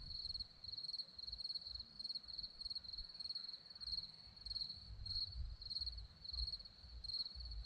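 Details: On a hillside near Zorlesti, Romania, crickets chirp in high, clear pulses, roughly a hundred bursts a minute in an uneven rhythm, over a faint low background murmur.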